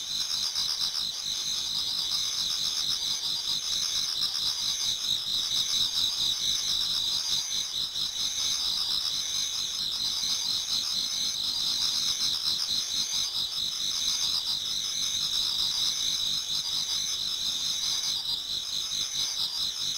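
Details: Pre-dawn autumn chorus of many insects in a Japanese garden: a long, unbroken shrill trilling with fast, shimmering pulses in two high bands, holding an even loudness for the whole stretch, no other sounds standing out.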